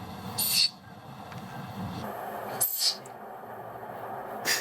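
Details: A wild Siberian musk deer in mountain forest gives short, harsh hissing bursts about two seconds apart when threatened, a rarely heard, very high-frequency call with energy around 13–14 kHz, unlike roe deer or water deer.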